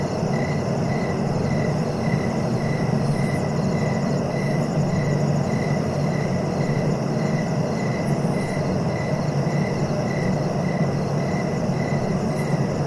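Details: Cricket chirps in a relaxation recording for sleep: short, even pulses repeated about twice per second at a steady mid pitch, with a fainter high shimmer, over a constant low rumbling background noise.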